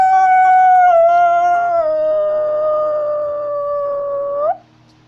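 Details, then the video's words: Wolf of northern Eurasia howling while walking: a long, steady, harmonic-rich tone near 700 falling slightly then holding level for about four seconds before a brief upward flick at the end, with a faint low hum behind. "Wolf is Walking while howling"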